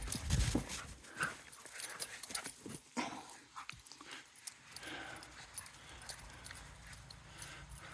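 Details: Pet dog Luna, excited after being told to bring something back, gives a burst of loud barks at the start, then scattered shorter yips and bumps, while a person speaks to her.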